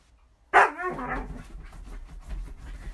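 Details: Pet female Alaskan Malamute giving a single loud, sharp bark that trails into a short harmonic yelp, followed by quieter rustling and low background noise.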